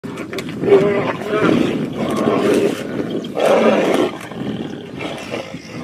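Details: Tigers fighting at Tiger Canyon in South Africa: a series of harsh, broad growling roars in overlapping bursts about every second, the loudest near the middle and end of the clip, with snarling between them.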